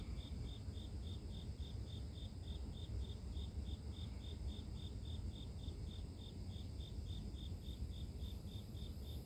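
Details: Grass insects chirp in an unbroken train of short, high, evenly timed pulses, roughly three each second, set against a constant deep rumble of background noise.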